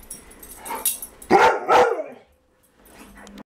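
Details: A mastiff and a husky guarding the house after a stray dog passed the front door. After soft, muffled sounds, two loud, harsh barks come in quick succession, then quiet fades to a faint whine.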